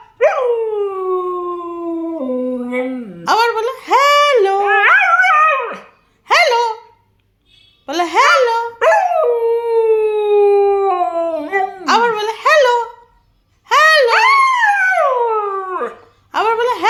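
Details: Husky greeting its owner with 'talking' vocalisations: repeated bursts of warbling, arching woo-woo sounds and longer falling moans, broken by short silences, with the owner's Bengali urging audible between calls.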